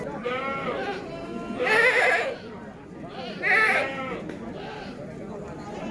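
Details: Bligon semi Jawa Randu goats, a red-headed long-eared type, about twelve months old, penned for breeding in Java, Indonesia. Two strong bleats sound nearly two seconds apart over faint music and chatter.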